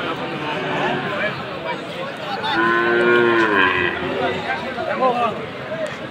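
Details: Sahiwal breed bull calves for sale at a market in Khulna, Bangladesh, 7 January. A single steady, slightly wavering moo lasting about a second rises above a constant hum of crowd noise.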